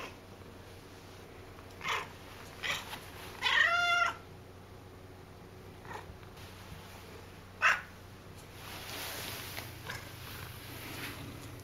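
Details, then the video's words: A very talkative pet cat indoors gives one loud, drawn-out meow with a bright harmonic tone, followed by a few faint short calls. A person asks what it wants. "Loud Cat"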